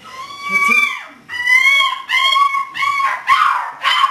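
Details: Macy, a 6-week-old female English Springer Spaniel puppy born 3 November 2010, during obedience training, filmed 14 December 2010; high, thin whimpers arching up and down, about five in four seconds, with faint background murmur.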